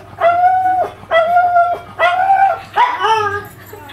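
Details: Magoo, a pet pug, reacts while watching himself on TV, making weird noises: four drawn-out, tonal whining yelps, each about half a second long and evenly spaced, rising then falling slightly, with a low hum underneath.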